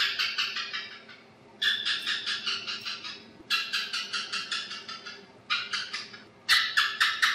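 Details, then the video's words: Asian house gecko, a house lizard that hunts at night under lights on walls, giving bursts of sharp, rapid clicking chirps, each series of evenly spaced clicks slowing and fading before the next burst starts. "Tiếng Kêu Con Thạch Sùng - Aisan House Gecko Sound Effect"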